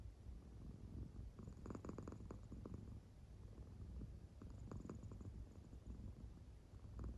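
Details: Low, rumbling purr like gentle snoring from a sound-asleep American Shorthair cat, with pulsed breathy bursts around two seconds and again near five.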